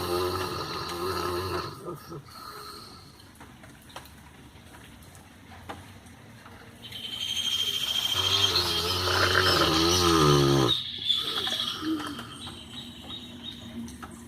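A Rottweiler snores in rough, rasping breaths, with human voices talking nearby.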